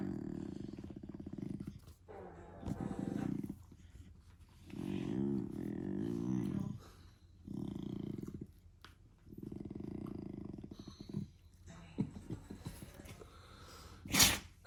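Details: German Shepherd puppy making funny noises: low, rumbling, growl-like grumbles in bouts of one to two seconds, separated by brief pauses, with a sharp noise near the end.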